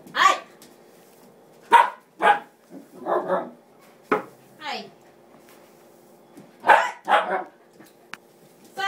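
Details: Female dog barking while chasing after a broom, giving short, sharp barks in scattered bursts, some in quick pairs, with pauses between them and a person speaking briefly nearby.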